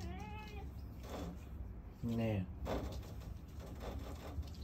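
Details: Domestic cat still meowing for more food after it has already eaten; a short falling meow opens, followed by a louder, lower drawn-out cry, with a human voice nearby.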